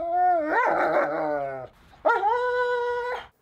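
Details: Two-week-old puppy being given its first round of dewormer, letting out two drawn-out, high, harmonic whines, the first wavering then falling, the second rising and held steady, separated by a short pause.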